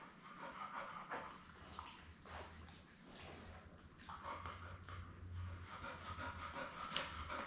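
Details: Labrador Retriever Belle, mother of seven puppies born May 24, 2021, heard indoors on a live puppy cam: steady rapid panting breaths with faint whimpers and rustling, over a low constant hum.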